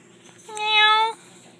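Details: Cat at a pet store calling a single steady, clear meow of about two-thirds of a second, loud and tonal, in a quiet indoor setting before a person compliments its eyes.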